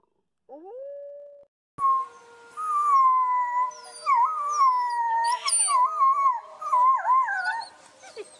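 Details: Wolves howling together: a short rising howl, a brief cut, then several overlapping voices with wavering, yipping pitch bends and quick slides, a chorus of higher and lower howls layered over one another.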